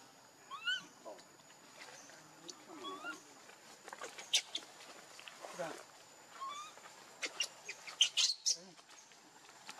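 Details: Leo, a baby monkey begging its mother for milk out of hunger, lets out brief upward-sweeping whimpers roughly every three seconds, mixed with handling noises and rustles.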